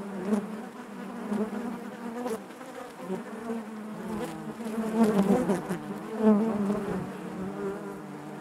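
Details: Inside a honey bee hive, many bees make a thick, rippling hum that surges and fades, loudest around five and six seconds, with small scratchy clicks scattered through the drone.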